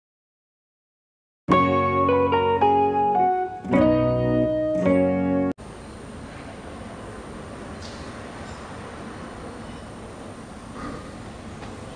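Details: A short plucked guitar and organ melody plays, then cuts to a steady hiss of outdoor background noise, with no animal calls heard.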